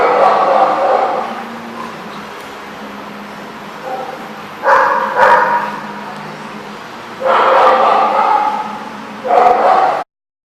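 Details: Barking dogs at The Barking Lot, Rhode Island, on 24 February 2014: several dense, echoing bursts of barking spaced a few seconds apart over a constant low hum, ending abruptly in silence.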